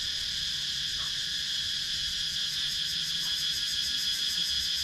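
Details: Cicadas in a wooded countryside area of Sakon Nakhon, Thailand, filmed with an action camera, produce an even, shrill, pulsing drone that stays constant over several seconds with almost no other sound.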